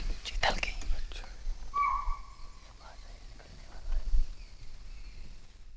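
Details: A chital (spotted deer) gives a single shrill, high alarm bark, warning of a nearby predator, on a winter safari in Kishanpur Wildlife Sanctuary, Dudhwa Tiger Reserve, India; the guide suspected a predator, and a tiger was later sighted.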